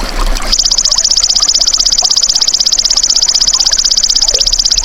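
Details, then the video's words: Golden grasshopper (belalang emas), recorded for tutoring songbirds, gives a high, steady buzzing trill of rapid even pulses that starts after half a second and runs unbroken to the end over faint background hiss. "MASTERAN BELALANG EMAS TERBAIK 2026 | SUARA ASLI"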